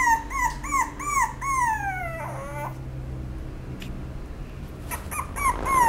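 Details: Apricot-coloured female Toy Poodle whimpering: quick series of high, arched whines repeated about five times, then a long falling whine sliding downward. After a quiet gap come a few clicks and more short high whines.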